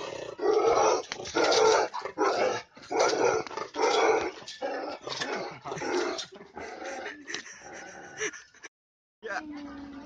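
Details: Himalayan Bhotia (Gaddi) dog from India, a livestock guardian breed, barking aggressively in a fighting mood: loud, harsh, rough barks in bursts about a second long, repeated with short gaps, ending in a drawn-out whine.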